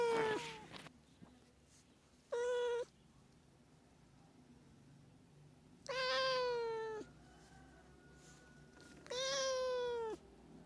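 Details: Meowing cat, sound used to draw cats near: four drawn-out meows separated by pauses of one to three seconds, each steady then dropping at the end, with a faint tone between calls.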